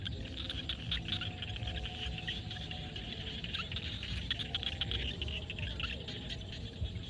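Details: Frogs calling at sunset in a field in Cambodia: a dense, steady chorus of rapid clicks and trills fills the upper range, with faint croaking tones below and a constant low rumble of background noise.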